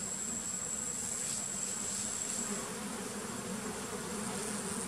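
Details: Wild giant honey bees (Apis dorsata) give a steady, dense droning hum with a low fundamental and fainter overtones, unbroken for the whole stretch, plus a thin high whine above.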